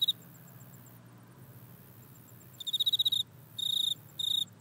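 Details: Grasshopper-type insect recorded in a back yard with an iPhone: after a quiet start, high buzzy pulsed bursts of rapid clicks come in short trains, three bursts in the last two seconds, over a faint low hum.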